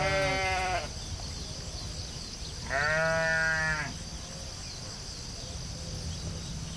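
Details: Sheep on a field bleating twice: a short bleat at the start, then a louder, quavering bleat of about a second, each rich in harmonics, with wind rumble and a constant high hiss between calls.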